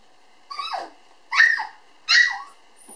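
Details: Black female toy poodle puppy, born 18 June 2012, filmed 9 November at a breeder indoors: three short, high yapping barks about 0.8 seconds apart, each with a quick falling tail, in a quiet room.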